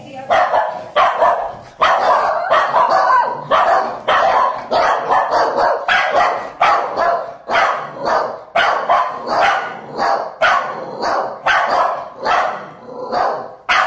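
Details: Overprotective female Scottish Terrier barking in territorial aggression after a recent biting incident. Harsh, rapid barks come in a near-continuous string, about two a second, with brief pauses.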